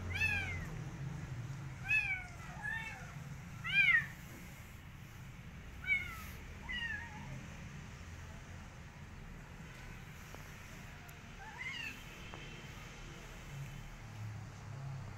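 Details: Rescued street kitten, refusing food and eager to go back outside, meows insistently: a rapid string of about eight rising-falling mews in the first seven seconds, then a lone softer one, over low indoor hum.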